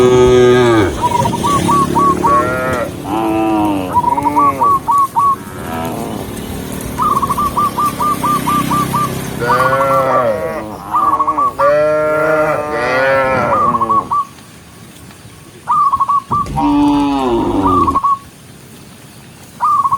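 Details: Several tame cows being herded, running along a green forest road in the rain, moo in overlapping, drawn-out calls, with bursts of quick trilled whistling in between.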